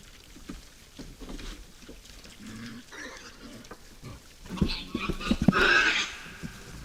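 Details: Wild boars visiting a forest feeder at night: low snuffling grunts through the first seconds, then a louder burst with a shrill squeal near the end.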